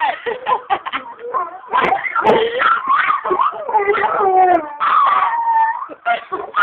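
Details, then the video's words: Two dogs singing at home, loud and continuous: whining, yodelling howls mixed with choppy yelps, pitch bending up and down, ending in a long falling wail. "Singing Dogs"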